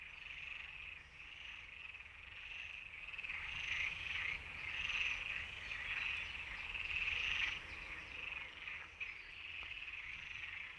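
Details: European tree frogs calling in a breeding chorus: dense, rapid rasping pulses around a bright high band, overlapping callers swelling louder in the middle, a continuous grating trill with no pauses.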